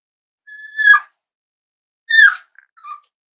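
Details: Almost eight-week-old Cavalier King Charles Spaniel puppy indoors: a thin, level whistled whine that ends in a brief drop, then a second falling squeal and a small trailing squeak, all in quiet surroundings.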